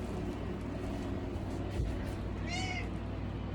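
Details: Domestic cat inside a cat sanctuary shed in Arkansas gives a single short meow late on, heard over the constant loud hum of a fan and heater.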